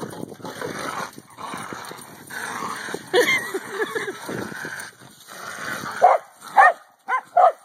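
Several seconds of broad, rustling scuffle give way to a corgi's short, bright barks. Three or four quick yaps come in a loose burst near the end, each clipped and high-pitched.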